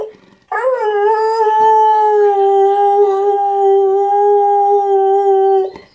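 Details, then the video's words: Airedale Terrier "singing the blues" with one long, loud howl of about five seconds. It begins with a brief upward swoop, then stays level and tonal, rich in overtones, before fading out. "Airedale singing the blues"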